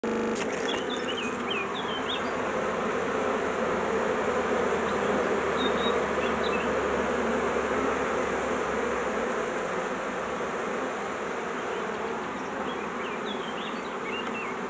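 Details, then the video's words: Honey bees swarming: a dense, continuous buzzing hum of many bees throughout, with a few faint, high bird chirps scattered in the background. "Fever of bees swarming Abeilles en fièvre d'essaimage"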